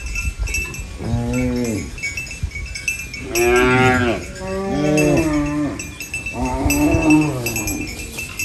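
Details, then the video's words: Cows munching banana leaves on a farm moo four times, each call a harmonic, arching lowing sound of around a second, the second loudest, with faint clinks and rustling between. "Funny cow eating banana leaves Mooing Sounds"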